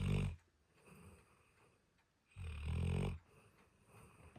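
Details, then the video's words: Dog asleep, heard as two deep, rattling snores with a soft, airy pause between them, low and resonant in a small indoor space. "Snoring dog"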